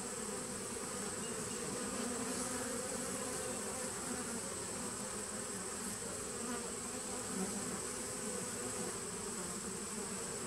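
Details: Continuous low hum from a honey bee nuc colony begun in 2017, captured on 19 September 2018; the wingbeat drone stays level and dense, with a soft steady hiss above it.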